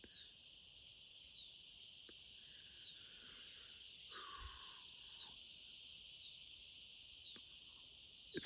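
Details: Cicadas in a forest at Big Bend, Texas, in May 2022 give a steady, high, buzzing drone with faint pulsing, a chorus that builds through the day's heat; a few brief bird notes break in.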